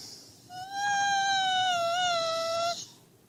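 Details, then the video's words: Husky serving as a wake-up call for its owner: one drawn-out whine of about two seconds, clear and tonal, holding level pitch with a slight wobble near the end, in a quiet room. "Хаски в роли будильника"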